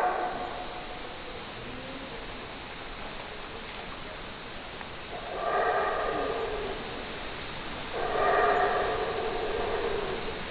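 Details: Howler monkey giving two separate roaring bursts, each a few seconds of rough harmonic groaning, after a quiet, hissy opening stretch.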